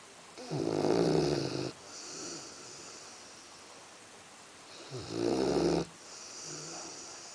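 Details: Axel, a sleeping Labrador Retriever, snores indoors: two long, rasping, buzzy inhalations about four seconds apart, each lasting over a second with a rough low rattle, separated by quiet, softer breathing.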